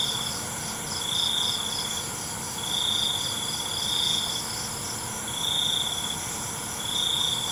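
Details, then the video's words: Night crickets give high, buzzy trills, each lasting around half a second to a second and repeating about every one and a half seconds, set against a continuous pulsing hum of other insects. "ALUNAN CENGKERIK MALAM"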